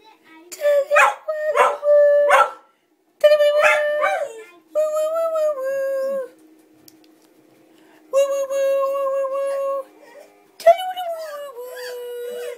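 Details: Tally, a pet collie, singing along to her favourite tune: long, wavering howled notes with rich overtones, delivered in about five phrases separated by short pauses, some notes sliding downward at their ends.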